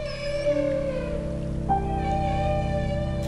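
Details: Alaskan humpback whales feeding cooperatively dive below herring schools and give loud, sustained, trumpeting feeding calls, likened to a fire alarm, to drive the fish during bubble-net feeding, with a lead whale sounding the charge.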